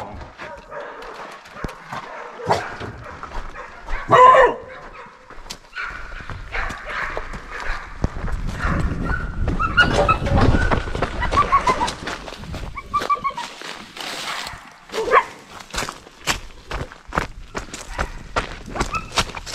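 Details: Pig-hunting bailing dogs in the wild, having bailed off at speed and holding a pig close to the car; scattered sharp barks and yelps build into a sustained chorus of overlapping barking, with rustling, footsteps and brief human voices.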